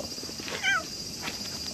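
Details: Stray cat in a shrine's grounds in the evening, friendly and purring as it approaches; one short meow that rises and then falls, set against a steady high hiss with faint rustling.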